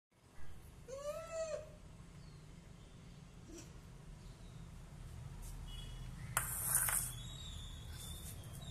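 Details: A pet monkey gives two quick squealing calls, each rising and then dropping, calling her owner for food.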